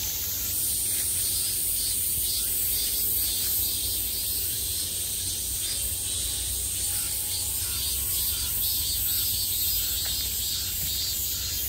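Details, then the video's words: Peak-summer cicadas sounding from every side: a steady, high, rasping drone with a gently pulsing shimmer, unbroken throughout over a faint low hum. "매미소리를 들으며 휴식. Cicadas's buzzing sound"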